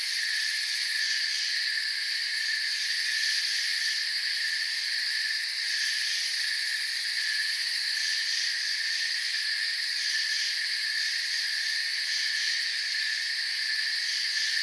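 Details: Forest crickets at night, their chirping forming a constant bright, buzzy wall of high tones with slight wavering, no pauses and no other animals or noises.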